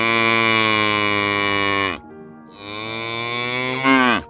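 A cow gives two long, deep, drawn-out moos, each nearly two seconds, the second sagging lower in pitch at its close.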